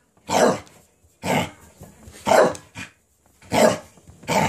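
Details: Excited Cardigan Welsh Corgi, frantic after receiving a cabbage core: four loud, rough barks roughly a second apart, plus a short cough-like yap near the end of the run.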